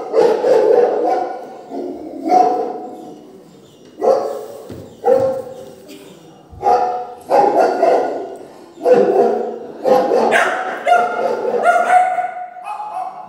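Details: Three-month-old Doberman puppy barking back at recorded dog barking played through a speaker; high, harmonic barks and yelps come in bursts every second or two, some run together, with short quiet gaps between.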